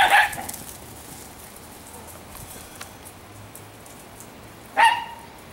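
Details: Barking from one of three fast female Italian Greyhounds, Shimmer, Sparkle and Speckle, in fall: a single sharp bark at the start, then a long quiet gap with faint hiss before a second abrupt bark.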